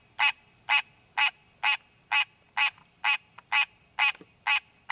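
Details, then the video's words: Wild green tree frog calling in natural habitat to find a mate: ten evenly spaced, loud, buzzy honks at about two per second, with a few tiny clicks between, over a continuous high-pitched hum. "Green Tree Frog Calling!"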